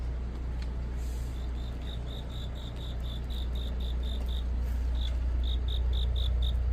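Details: Cricket calling on a deepening autumn night: clear, high, regularly repeated chirp pulses, briefly pausing before resuming, about two and a half per second, over a steady low motor hum.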